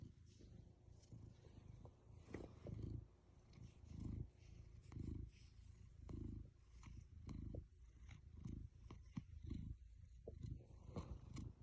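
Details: Black domestic cat purring while lying on a lap, a low rumbling purr pulsing roughly once a second, quiet and close, with light rustling and handling noises.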